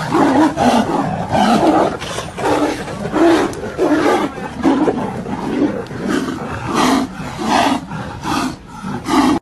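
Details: A Siberian tiger and a white tiger fight, with harsh repeated growls and snarling roars in rough bursts about a second apart.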